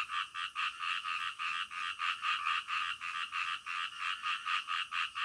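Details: Night frog chorus: quick, rasping croaks pulse in an even stream, roughly two per second, loud and continuous with no other sounds standing out.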